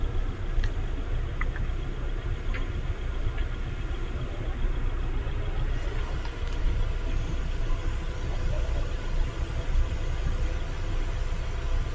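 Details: Steady low engine rumble of an idling vehicle fills the recording, with a few faint clicks above it and no animal voice.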